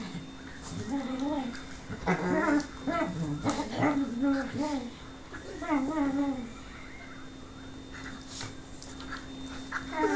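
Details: Lux the whippet pleads for Sophia's affection with a string of rapid, thin whimpers, each a quick rising-and-falling whine, repeated over several seconds before fading, while a person speaks encouragingly nearby.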